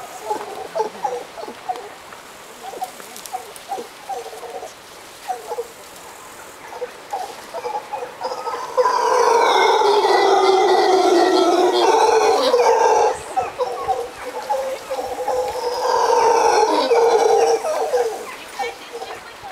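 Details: At sunset in Costa Rica, howler monkeys trade pulsing throaty grunts that break into two long, loud, rasping roars, each held for several seconds, with grunting in between.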